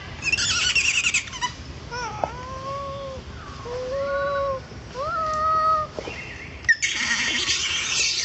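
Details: Baby macaque Jixn crying in a tantrum after its mother Jade refuses to let it nurse, in Siem Reap Province. A few long, sustained wailing cries, some swooping up then holding steady, with rustling bursts before and after.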